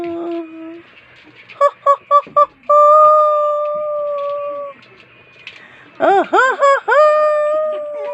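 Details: Pet dog 'talking' with a run of four short clipped yelps, then a long sustained level howl; later a burst of rapid arched whines slides into another held, steady howl.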